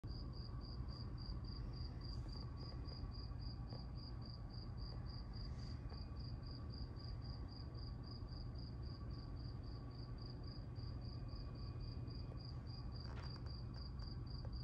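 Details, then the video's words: A cicada outside in Las Vegas, heard through a closed sliding glass door: a steady, high, thin pulsing tone repeated several times a second without pause, over a low background rumble. "Noisy cricket in Vegas"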